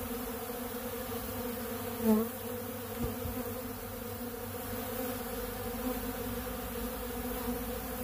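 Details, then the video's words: Many honeybees feed on bee pollen at a big blue pollen feeder, making a steady, dense buzzing hum with a low drone and a brighter overtone. A brief louder buzz comes near two seconds in. "Therapeutic Treatment Sounds Of The Honeybees"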